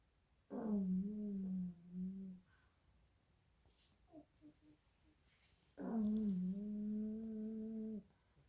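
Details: Two little pug puppies sleeping indoors and snoring very loudly: two long droning snores, each about two seconds with a steady low buzzing hum, separated by a quiet gap with faint snuffles.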